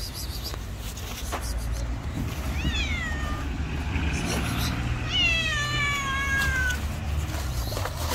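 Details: Two stray cats meet and fight; two strained, descending harmonic wails stand out, a short one then a longer wavering one, amid steady low street rumble and faint voices.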